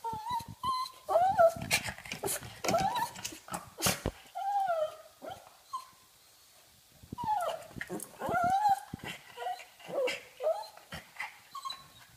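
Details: Pug, a female wanting to play, making funny noises indoors: repeated nasal whines and squeaky grunts, some wavering up and down, broken by snorts and short pauses, with a person's voice at times.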